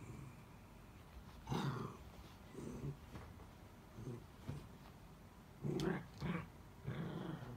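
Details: Miniature Dachshund indoors whining for help after its toy slid under the bed, glancing back at its owner; several short, tonal whimpers with layered overtones arrive in uneven bursts, loudest near the sixth second, between quiet room pauses.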